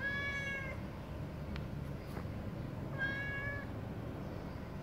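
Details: Domestic cat waiting while breakfast is made, two short high meows about three seconds apart, each steady then falling slightly, over a low steady indoor background hum.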